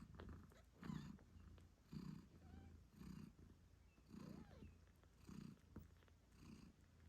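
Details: A British Shorthair mother cat nursing her 8-day-old kittens purrs loudly in deep, rhythmic pulses, with faint kitten mews.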